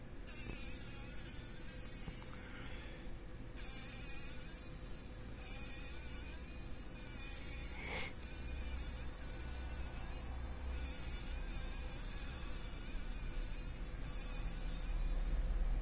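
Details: Fly caught in a spider web in a workshop corner on a morning when several flies had become trapped, struggling; continuous low buzzing drone with uneven flickers of wingbeat noise, growing slightly louder toward the end.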